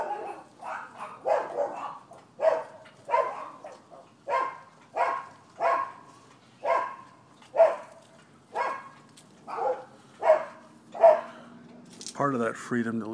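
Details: Barking dogs next door at a Florida property, recorded 12/7/15: steady, evenly spaced single barks roughly every second, loud and mid-pitched, ending in a brief burst of rustling noise.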